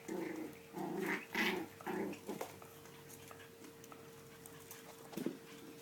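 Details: Seven-week-old puppies of the dog Kia at play: a run of short, harmonic yips and growly barks packed into the first two and a half seconds, then only scattered soft sounds over a steady low electrical hum.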